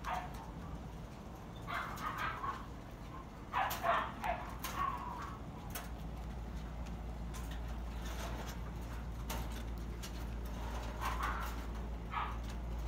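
Guinea pigs give short, irregular squeaky chirps in scattered bursts over a steady low hum.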